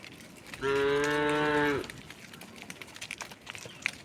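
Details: Cows and oxen in a tame herd walking toward wide green fields in the morning sun; one steady harmonic moo lasting about a second, then quiet countryside background with faint clicks.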